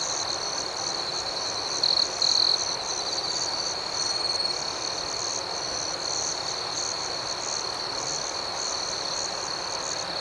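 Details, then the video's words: Nighttime crickets chirping together: an unbroken high shrill tone with quick repeated chirps layered above it, and a short louder trill early on. "Soothing Cricket Sounds"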